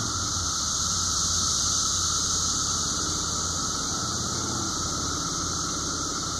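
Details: Countless 17-year periodical cicadas of Brood V, recorded at midday on 30 May 2016 in a cemetery in Washington, southwest Pennsylvania, blend into one continuous, even-pitched whine. A hissy wash sits above the drone, with a faint low hum underneath.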